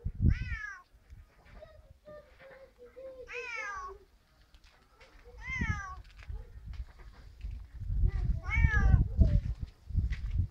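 A Siamese cat gives loud, drawn-out meows, each rising then falling, about every two seconds.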